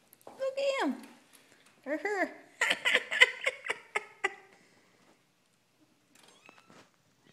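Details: Three-week-old kittens, born 4/12/2012, indoors: two short falling meows with a rich harmonic stack, then a rapid run of higher, choppy voiced calls before quiet returns, with people talking nearby.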